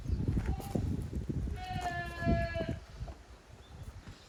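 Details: Goat kids playing roughly in the exercise yard of Yoshigake goat farm, 30 April 2023. A short bleat leads into a longer, steady, buzzy bleat lasting about a second, over busy knocking and trampling sounds.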